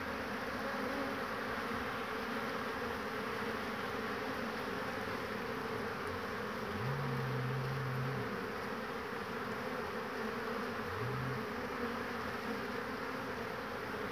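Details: Many honey bees returning to their hive with pollen on 22 March 2019 in spring; a steady broad hum of the colony with two short, louder buzzes of single bees flying close past.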